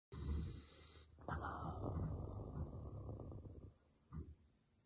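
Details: Basset Hound in deep sleep, giving low, rough, breathy snores. One short snort opens, then a long rasping exhale follows and fades. A softer puff comes near the end, with a faint steady high tone behind.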